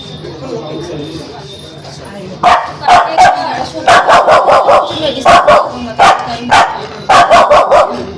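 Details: An angry, aggressive Spitz barks in sharp, rapid, high-pitched, insistent bursts, with short pauses between volleys.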